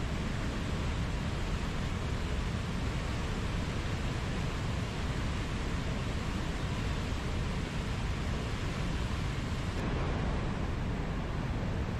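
Only a steady, broadband rushing noise like wind, surf or engine rumble is heard, with no animal voice.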